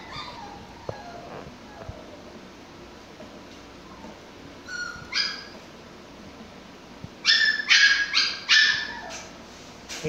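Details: Six-week-old Pomsky puppies at play: faint whimpers early, then a cluster of sharp high yips and barks in quick bursts near the end.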